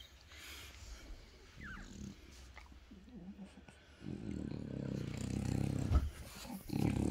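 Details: French Bulldog indoors in a home office, sitting with its owner watching TV and talking with little snorts and grunts; irregular low, rumbling snorts and grunts, louder and denser in the second half.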